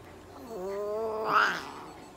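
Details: Russian Blue cat named Myu at a veterinary clinic in Nagoya during treatment with light therapy, injections, moisturising tea tree oil spray and brushing: one drawn-out, harmonic-rich meow that swells and rises to a peak before fading, over a low indoor hum.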